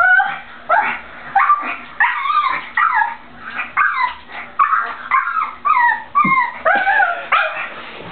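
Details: Frightened male pug whining before crossing a slick, just-cleaned bathroom floor to fetch his toy; about a dozen high, arching whimpers repeated roughly every half second, a person coaxing him in between.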